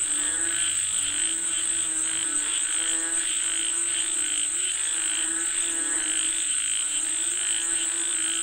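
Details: Massed frog chorus calling for rain, rhythmic pulsed croaks overlapping continuously, with a sustained piercing insect whine overhead.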